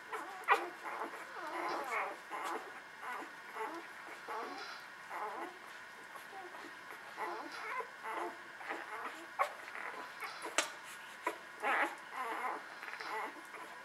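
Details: Several newborn puppies nursing, with frequent short, high-pitched squeals and whines scattered over a low rustle, some yips rising sharply above the rest.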